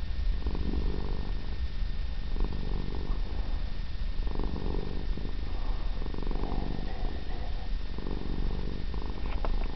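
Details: Female Siamese cat purring in long, even, low rumbling bursts separated by brief breath pauses, continuing for about ten seconds in a quiet setting.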